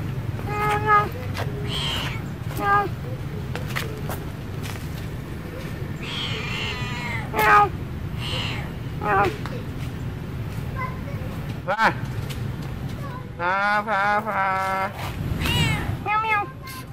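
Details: Domestic cat, a female, in Siem Reap, Cambodia, walking along behind the camera; scattered meows early on, then a louder cluster of wavering meows near the end, with steady low hum and occasional human voice.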